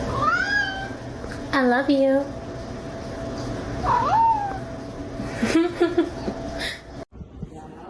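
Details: Domestic cat meowing indoors: about four drawn-out, wavering meows, each rising and then falling, spread over several seconds, with a person talking and light background music throughout.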